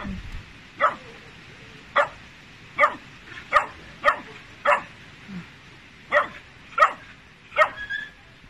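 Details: Working-line Tibetan Mastiff, a territorial guardian breed, barking while on guard: about nine short, sharp barks spaced well under a second apart, with a brief pause midway, over a quiet background.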